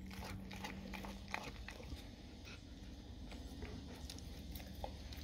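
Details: Dog gnawing on raw cow tongue, crunching bites at roughly three per second, irregular and wet-sounding, over a steady low indoor hum.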